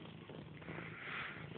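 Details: Grey, a domestic cat, purrs in a continuous low throbbing drone that stays steady throughout, with light rustling in a small indoor space.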